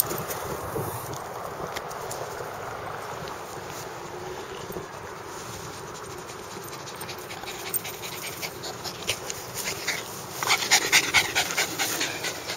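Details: Bulldog panting in a long run of rapid breathy huffs, about two per second, growing louder and harsher near the end.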